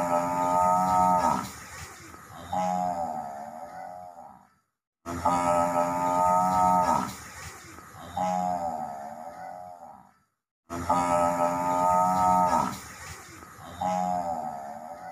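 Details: Repeated water buffalo calls. Each round is a strong, buzzy, harmonic bellow followed by a quieter moan that dips and rises in pitch. The sequence comes three times, separated by short silences about every five seconds.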